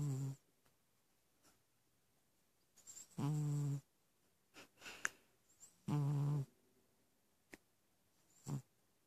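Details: A Persian cat snores in low, buzzy rasps, drawing a breath roughly every three seconds.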